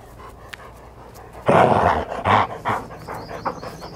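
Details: Newfoundland dog filmed through a fish-eye lens, giving loud, breathy bursts around one and a half to two and a half seconds, then softer puffs; quiet room noise between.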